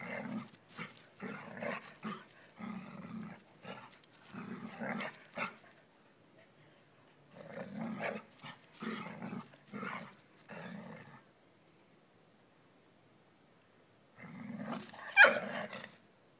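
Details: Dobermann puppy pestering an adult dog that wants to lie in the sun, outdoors: rough, pulsing growls in rapid bursts, two long runs separated by a pause, then a louder final burst with a sharp yelp-like peak.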